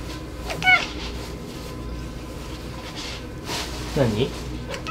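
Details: Domestic cat talking back while protesting, giving a short high meow early on and a lower wavering meow near the end, separated by background noise and faint indoor sounds.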